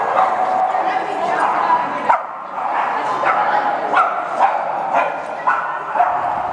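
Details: Boston Terriers at a Chicago breed meetup gathering, a young dog's first such event; sharp barks and yips from several dogs burst out every half second to second over constant loud human chatter.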